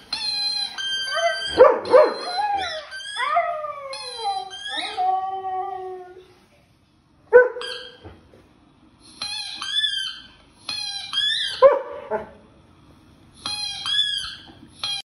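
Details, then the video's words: A German Shepherd howls along on seeing a dog howling on TV, in long wavering cries that rise and fall, broken by yips and brief pauses. "German shepherd howling when seen howling on tv"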